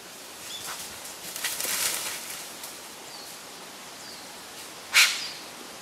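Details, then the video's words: Wild Japanese serow in Japan in mid-September 2012, curious, approaching on a trail beside a mountain stream and trading harsh snorts with a person as a hostile greeting or intimidation. Rasping, noisy bursts around two seconds, then one sharp, loud snort near the end. Faint rustling behind. "Communication with Japanese Serow ニホンカモシカと鼻息で鳴き交わしてみる"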